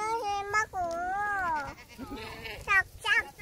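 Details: Goats in Korea: a long, wavering, almost human-sounding bleat lasting about half a second, then several shorter, quavering cries, with people talking and laughing close by.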